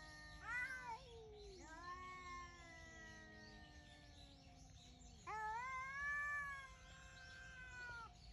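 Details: Two wild cats calling early in the morning on 18 November 2021; long drawn-out wavering yowls, one dropping in pitch and another swelling to a loud, strained wail, with faint bird chirps behind.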